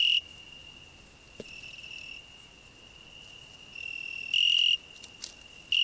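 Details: Cricket singing on a rose bush alongside a grasshopper: a steady, pure high-pitched trill held throughout, swelling into a brief louder burst near the end and again at the close, with faint higher hiss above.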